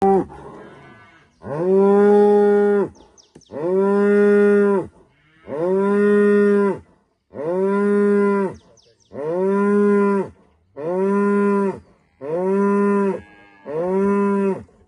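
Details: A female cow in rural Rwanda greets the morning at sunrise with a run of seven loud, steady, droning moos, each lasting just over a second and repeated about every two seconds, with brief quiet gaps between them.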